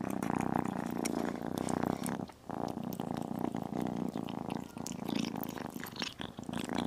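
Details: Purring from a tiny kitten munching chicken and beef, a continuous throaty rumble that dips for a moment then resumes, accompanied by crisp bites, licks and mouth clicks close to the recorder.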